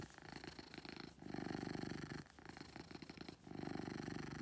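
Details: Beetle, a pet cat, purring loudly; low buzzing rumble with a fine rapid flutter, swelling over roughly one-second breaths separated by short pauses.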